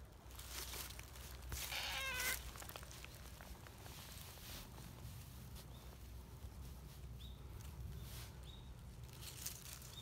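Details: Lively tortoiseshell community cat, friendly and kneading as it waits for a cuddle, makes a single quick meow over background rustling. Faint high chirps follow later.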